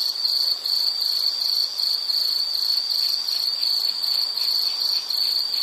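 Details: Insect, likely a cricket, for calming background listening: a shrill, high trill broken into short pulsed bursts of about half a second, repeated almost without pause.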